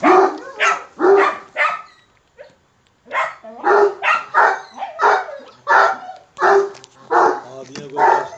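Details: Young Kangal dog, fierce and very angry, barking aggressively: about fifteen loud, harsh, rough barks in quick irregular bursts, with a short pause after the fourth; little background noise.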